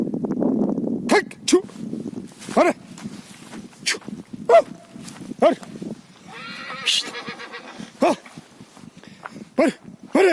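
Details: Stallion sounding a short series of soft, low nickering pulses, then a brief high shaky whinny midway, with a person speaking at the start.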